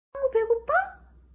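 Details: Domestic cat meowing in a short, clear burst: a steady mid-pitched tone breaks into two or three linked notes, then a final rising note. The room is quiet around it.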